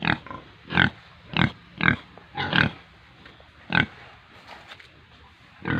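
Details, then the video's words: Pigs and piglets on a farm in Tripura give short, harsh, broadband grunts in irregular bursts, about six in under six seconds, separated by quiet gaps with faint background noise. "Pigs & Piglets sounds"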